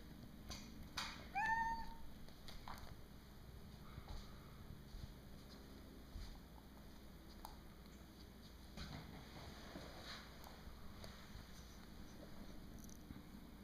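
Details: Two kittens, Huck and Molly, play with a green bean indoors; one short, clear rising meow comes early on, then soft scuffling, light taps and faint rustling as they play in a quiet room.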